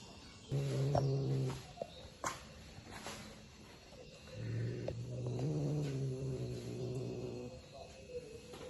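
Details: Village cat kept by a rural family, giving two low, droning growls with rich buzzing harmonics, each lasting about a second or more, separated by a quiet pause; faint human talk in the background.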